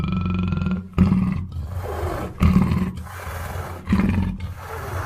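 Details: Black panther producing three or four forceful, gravelly growls about a second and a half apart, each starting with a hard burst and fading into a low rumble.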